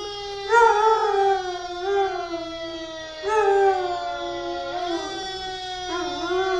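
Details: Achilles, a 2-year-old Labrador-Chow mix, howls in long, wavering notes in answer to a passing fire truck siren, as he does every time he hears one.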